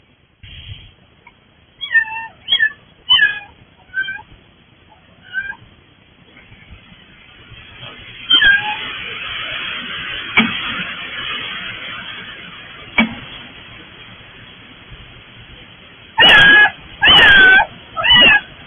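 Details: Stray kittens that turned up at a front door, meowing repeatedly: a run of short high meows early on, then a noisy stretch, ending with three loud drawn-out meows.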